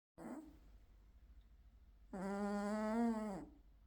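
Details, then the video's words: Charlie, a gold British Shorthair male cat, snoring loudly in his sleep: a brief breathy sound at the start, then a long droning nasal snore lasting over a second, holding steady before it drops away. "Cat Snores Loudly"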